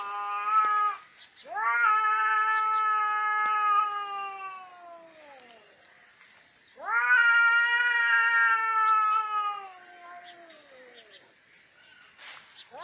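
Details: Two long moaning yowls from fighting cats, each starting loud and high and then sliding downward as it fades. Quieter spells, faint hisses and clicks fall between them, and a third yowl begins at the very end.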